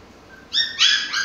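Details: Pomsky Mikey at play with his toys, giving two quick high-pitched yips in close succession after a brief soft whine, in a small indoor room.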